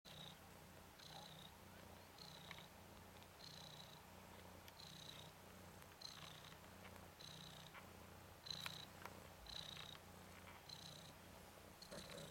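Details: Ten-day-old Ragdoll kitten Nikita, a red/cream colourpoint male, one of three males from Zaphirra, romping on his back: a steady low pulsing purr with short high thin squeaks about once a second.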